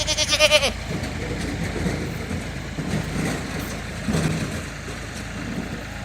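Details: Goat in Swabi giving one loud, wavering, quavering bleat in the first second, followed by a steady low engine rumble and scattered background noise.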